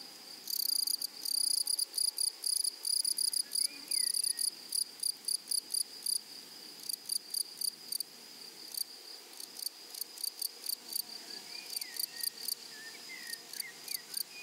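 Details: Grasshoppers in a flowery meadow, stridulating in rapid high, dry pulse bursts that come in uneven runs, over a steady high insect whine, with a few short bird chirps in the background.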